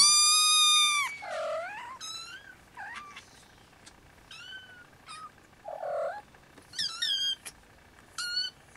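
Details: Restless Siamese kittens with their mother Siamese cat, which is napping while they nurse: one long, loud piercing mew opens, followed by softer chirping mews and lower, squeaky, wavering cries spaced a second or so apart.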